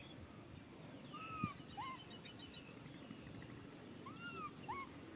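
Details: Baby macaque named Nui Simon crying out for a hug: thin, arched, whistle-like cries with rising-then-falling pitch, in two pairs about three seconds apart, over a steady background hum and a faint high electrical whine.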